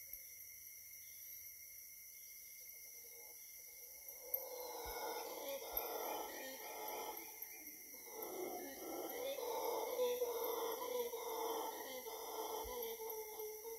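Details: Howler monkeys in Costa Rica jungle, a chorus of rough, roaring howls swelling in pulsed bursts after a quiet start, with a steady high insect drone and a constant whine throughout.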